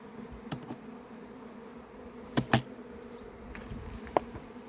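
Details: First honey bee swarm of 2026 at an apiary on 28 April, ahead of the local early-May norm; a steady low bee hum broken by several sharp knocks or clicks.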